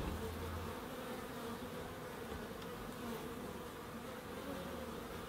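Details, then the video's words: Bees in a small wildlife garden at an end terrace house in Crookes, producing a steady, continuous low droning hum with overlapping wingbeat tones from several insects, holding an even level throughout. "1hr of Relaxing Bees"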